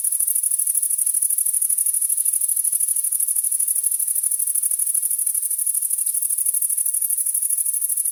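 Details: A grasshopper chirps on a summer night in a rural area, a high, dry, rapidly pulsing buzz that runs on without pause.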